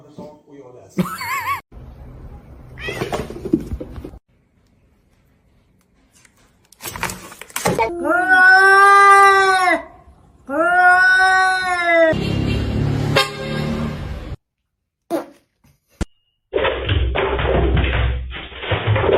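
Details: Cat giving two long, loud, drawn-out meows that rise and fall in an arch, each over a second long, with brief speech and bursts of music before and after.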